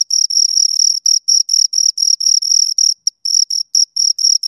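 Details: Shrill chirps of two crickets in irregular trains of pulses, some run together into longer bursts, with a short pause just after three seconds before the rhythm resumes; nothing else audible.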